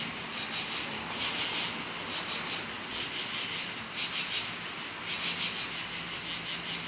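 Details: Crickets in woods at night, many calling at once; high, rapid pulsed trills rise in bursts every second or so over a continuous shrill chorus.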